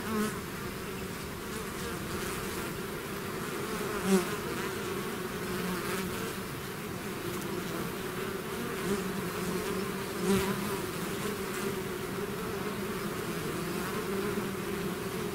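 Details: Swarming bees leaving their hive: a thick, unbroken droning buzz from countless wings, humming bands shifting slightly in pitch, with occasional louder passes of individual bees near the microphone.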